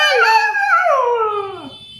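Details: Husky vocalising to its owner as if saying hello, a drawn-out, talking-style howl that slides downward over about two seconds.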